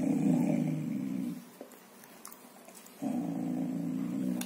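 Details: A young male Golden Retriever gives a low, rumbling growl to guard his bone, the first time he showed such protectiveness over a bone or toy.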